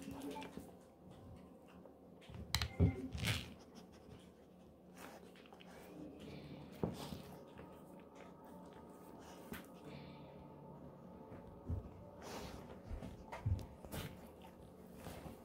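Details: Golden Retriever named Moko eating a pig ear as a snack indoors; crunchy, irregular gnawing clicks and cracks, denser bursts around the third and twelfth to fourteenth seconds, with quiet room hum.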